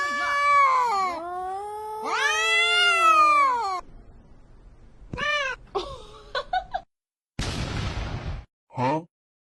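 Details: Fighting cats yowl in long arching, wavering howls for nearly four seconds, then short rising cries and meows come in bursts between silences, with one harsh hissing spit near the end.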